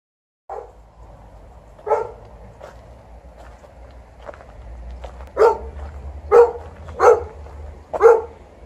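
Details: TJ, a Golden Retriever, barking at the end of an evening walk, complaining about its length: soft scattered yips and huffs at first, then four loud, sharp barks spaced about a second apart in the final seconds, with low rumbling background.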